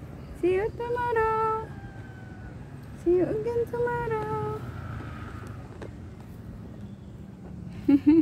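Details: Distressed over separation from its owner, a cat meows in bursts: a scooping rise into a sustained wail, then a second pair a few seconds later, and another short cry at the end, over faint background noise.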